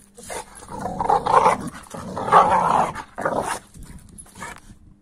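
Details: American Staffordshire Terrier reacting to a 15-week-old Kuvasz puppy with strange noises: three moaning, growly bursts of a second or less, the longest in the middle, followed by quieter grumbling toward the end.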